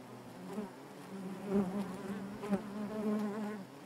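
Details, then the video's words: Bees humming inside a honey bee hive: a low, even drone with bands of overtones, pulsing softly louder and quieter throughout. "bees therapy hive natural buzzing sound"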